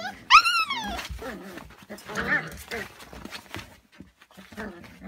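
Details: A Lagotto Romagnolo from a breeding kennel gives a sharp, high yelp that rises and falls, followed by people talking; recorded 7 February 2017.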